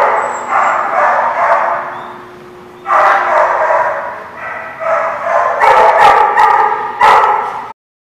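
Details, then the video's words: Chorus of several dogs barking at once, recorded 27 October 2017; continuous overlapping barks swelling and fading in waves, sharper louder barks near the end before abrupt silence. "The Barking Lot"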